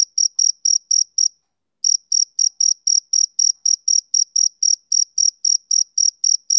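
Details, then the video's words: High shrill chirping of a male cricket on a summer evening, quick regular pulses broken by one short half-second pause before resuming at the same brisk pace. "Cricket Chirping Sound Effect"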